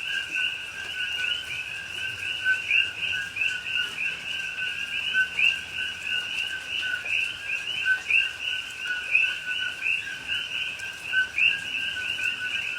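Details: Coqui frogs calling at night in rain, rainforest at Pahoa, Hawaii, recorded October 2021. A thick, even chorus of repeated two-tone calls, each a low note and a rising high chirp, many voices overlapping for the whole stretch.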